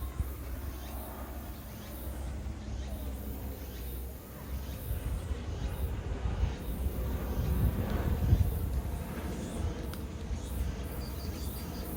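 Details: Low, steady rumble of distant traffic in Ozasa Kita Park, swelling slightly toward the end, with no animal voices standing out.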